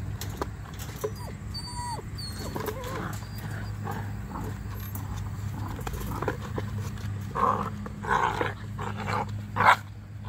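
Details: Eight-week-old Weimaraner puppies give short whines and yelps over a steady low hum.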